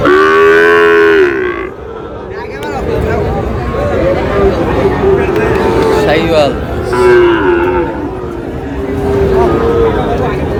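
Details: Cattle at a crowded Thursday livestock market in Cumilla, Bangladesh, where Sahiwal bull calves are traded; a loud, drawn-out low moo fills the first second, followed by several fainter, shorter moos over steady crowd chatter and market noise.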